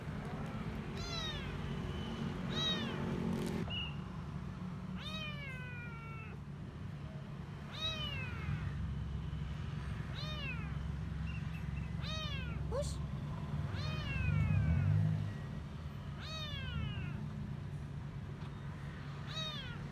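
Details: Lone, dirty stray kitten hiding below a food truck at a grocery store, crying out for food: a run of about eight loud, downward-sliding meows, spaced roughly two seconds apart, over a steady low rumble of engines and traffic.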